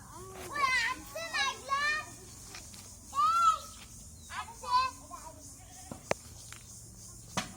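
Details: Native (desi) goats kept on a farm, giving a series of wavering, quavering bleats with stacked harmonics, several short cries in the first two seconds and more around three and five seconds, with faint background voices.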